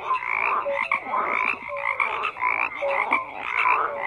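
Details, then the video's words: Croaking frogs in a crowded chorus, harsh buzzy calls pulsing several times a second alongside clear short tonal notes, no other sounds. "FROGS CROAKING"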